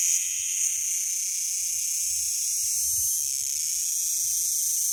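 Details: A cicada singing unseen on a hot climb near Chulilla, Spain, hard to find or spot: a continuous shrill, high buzzing drone holding steady for several seconds, with soft low rumbles of footsteps and movement below.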